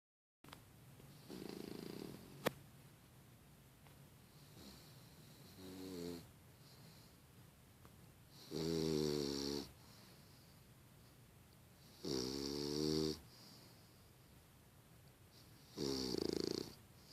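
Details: A 5-month-old female English Bulldog snores in loud, rasping bursts roughly every three to four seconds.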